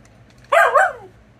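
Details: A mouthy Siberian Husky named Luna gives a single short harsh grumbling yelp of about half a second, wavering slightly before trailing off, over a quiet steady hum.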